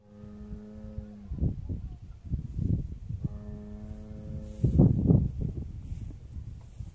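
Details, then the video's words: Jersey and Brown Swiss cows lowing: two long, steady, deep harmonic moos, the first about a second long and the second following after a pause. Rustling, shuffling farm noise fills the gaps between them. "Vacas jersey y pardo Suiza"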